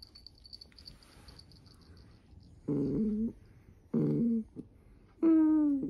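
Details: A female Dachshund gives three drawn-out, moaning whines, the last one higher and more tonal, while she fawns affectionately as her belly is stroked.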